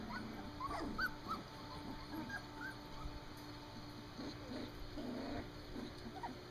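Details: Three-week-old standard poodle puppies outdoors for the first time; scattered soft squeaks and thin whimpers come in uneven bursts over a steady low hum.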